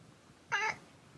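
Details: Domestic cat vocalising with pleasure while being massaged indoors: a single short harmonic groan lasting about a quarter second, rich in stacked overtones, in an otherwise quiet room.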